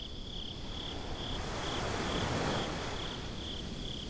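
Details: Crickets at night at the beach, recorded binaurally: high, thin chirps pulse evenly about twice per second, nine across the stretch, over a loud, steady broadband rushing noise that swells slightly midway.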